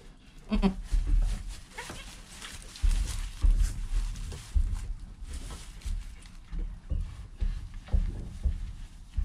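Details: Newborn goat kid named Joel, within the first hour of life beside his calm mother Penny, filmed on a GoPro; a short harmonic bleat near the start, then low rumbling and handling noise dominate.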